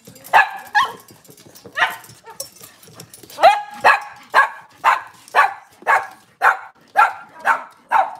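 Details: Cavalier King Charles Spaniel in a home kitchen on a cloudy Monday morning, among off-season mothers and puppies: a run of sharp, mid-pitched barks repeated roughly twice a second, with faint human speech underneath.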